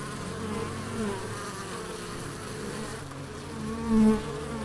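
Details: Bees buzzing in the Biblical Gardens at Elgin, Moray, Scotland: a low, steady drone with faint humming tones that swell briefly near the end as one insect passes closer.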